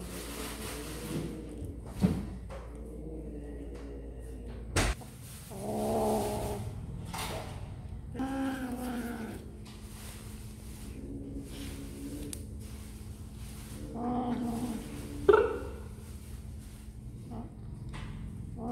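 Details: Kittens eating snacks, giving a few drawn-out, wavering mid-pitched meows around the sixth, ninth and fourteenth seconds, with soft clicks and bumps in between and a steady low hum throughout.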